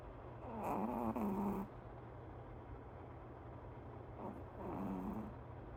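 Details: Sleeping dog snoring: a rasping inhaled snore of about a second, then a quiet pause, then a second softer snore, over a constant low background hum.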